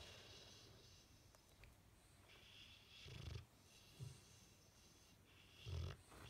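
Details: Bullmastiff asleep, face twitching, giving low rumbling snore bursts at roughly three, four and six seconds, separated by quiet breathing and faint background hiss.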